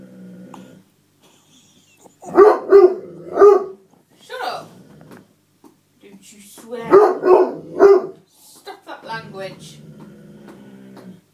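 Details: Otterhound and Spinone mix dog barking in a tantrum because his seat was taken; two bursts of three sharp, tonal barks, between which a man talks to him.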